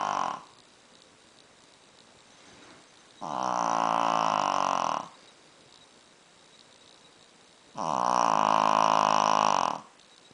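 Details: Sleeping Shih Tzu snoring very loudly: two long, buzzy, rasping snores of about two seconds each, roughly four and a half seconds apart, separated by quiet breathing.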